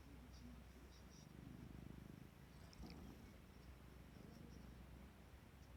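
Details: Ajiko, a clingy domestic cat that creeps into the spot where its owner sits and falls asleep, purrs softly in low, rapid rumbling pulses, strongest in the middle and again near the end, over a faint room hiss.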